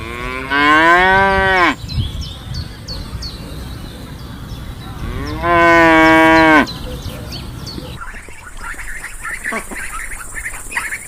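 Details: Cow mooing: two long, steady, deep moos, each just over a second, about four seconds apart, followed by scratchy rustling and faint sharp clicks.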